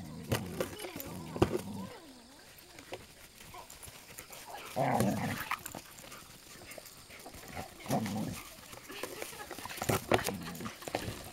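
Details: Border Collies High and Bonnie together, one dog giving wavering whines that slide up and down in pitch, mixed with thumps, rustling, steady background noise and occasional human voices.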